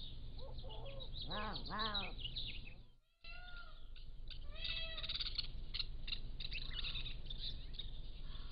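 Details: Young Pallas's cat kittens aged 3 to 7 weeks on a motion-activated trail camera give two strong arched, rising-then-falling mews in quick succession, then a brief dropout; birds chirp and whistle throughout over a low hum.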